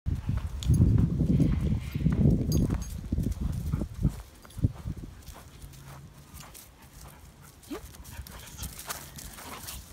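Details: A Siberian husky and a staffy x cattle dog play-wrestle in a backyard, growling low and rough in bursts with scuffling and panting between.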